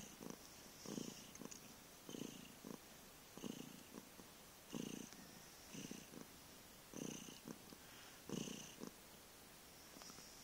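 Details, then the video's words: Heavy purring from the cat Vriendje, 15 November 2011, a grunting, rattling rumble rising on each breath and easing between, about eight strong surges in steady, slightly uneven rhythm. "Kat Vriendje kan enorm spinnen/knorren."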